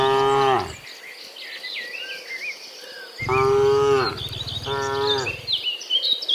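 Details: Cows, dozens of them, returning from the fields to the pen in the afternoon; one moo ending, then two deep moos in close succession, with bird chirps and an insect hum throughout.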